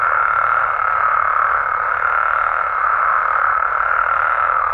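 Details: Massed night calling of frogs and toads in Mexico, an even, unbroken buzz of high croaks from many animals in natural habitat.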